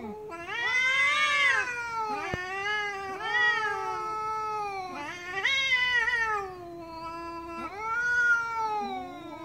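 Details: Loud, angry cat meowing: about five strained, drawn-out wails, each rising then sagging in pitch, repeated roughly every two seconds with short pauses between them.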